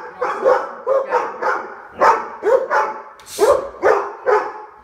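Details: Labrador Retrievers, Yellow Labs living together in Omaha, barking at the door before behaviour training for jumping and attention demands; loud harsh barks in rapid bursts, about ten in five seconds, overlapping voices.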